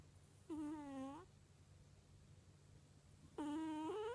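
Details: Domestic cat snoring in its sleep: two nasal, whistle-like "puu" snores about three seconds apart, each a tonal note under a second long that bends upward at the end, with a low background hum.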